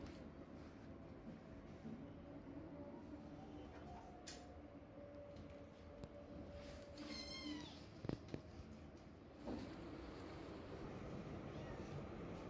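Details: During weaning a kitten begs its mother cat for milk with a single short, bright mew rising then falling late in the recording; before and after, only room hum, a few clunks and thumps.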